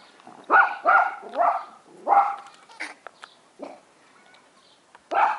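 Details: Australian Terrier puppies at a breeding kennel, recorded 9 April 2015, giving a run of short, sharp, high-pitched yapping barks, four close together, then scattered softer yips and one final loud bark, in a quiet setting.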